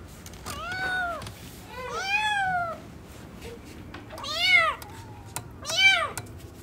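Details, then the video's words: Newborn kittens playing indoors, giving four arched, harmonic meows spaced about every one and a half seconds, each rising then falling, with quiet gaps between them. "New born kittens are playing 😂🤣 | cute cats meowing"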